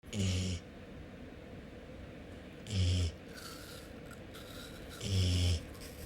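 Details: Golden Retriever sniffling through its nose to appeal for attention; three short nasal snorting bursts, each about half a second long, come roughly every two to two and a half seconds, with a low rumbling tone under hissy breath noise.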